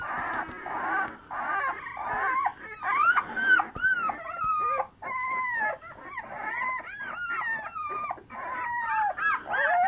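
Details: Black terriers and Irish Soft Coated Wheaten Terriers from one kennel whining and howling together, drawn-out wavering cries sliding up and down, overlapping voices continuing throughout with short pauses.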